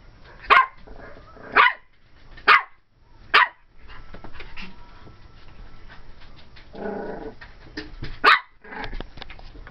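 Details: Twelve-week-old cream and white female Pomeranian puppy barking at a doll watching from a closet during play at home: a series of sharp, yappy barks roughly once a second, a pause with a soft growl, then more barks.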